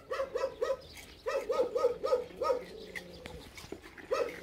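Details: Jindo father and daughter, Geumdong and Janggeum, waiting outside the door for dried pollack skin snacks in a rural Korean village. Short, bright, tonal yips come in quick runs of three to five, a brief pause between bursts.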